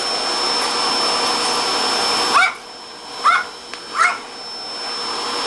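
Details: Pet Papillon dog Angelina, indoors at home and upset by the vacuum cleaner; loud vacuum roar for two seconds stops, then three brief high-pitched whining yelps follow about a second apart in quieter room.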